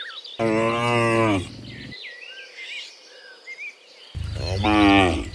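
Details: A morning moo from cows going from the field to the barn: a long, full moo, a pause with birds twittering, then a second, louder moo rising at its end.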